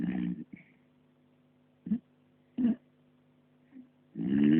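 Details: Snoring puppy, deep in sleep: a raspy snore opens, then short snorting breaths at intervals of under a second to a second and a half, and a loud drawn-out rumbling snore closes it; low hum throughout.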